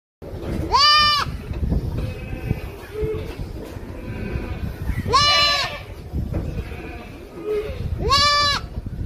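A young goat gives three loud, wavering bleats, spaced about four seconds apart.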